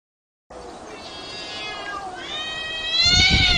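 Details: Cat fighting: a long, wavering, harmonic-rich yowl that swells steadily louder over about three seconds and ends in a harsher, noisier burst.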